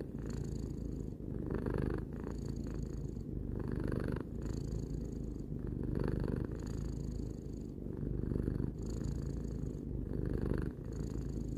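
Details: Purring of a three-year-old pet cat, a dense low-pitched vibrating rumble pulsing in rhythmic inhale and exhale cycles about one to two seconds long, each cycle marked by a lighter breathy rasp above the drone.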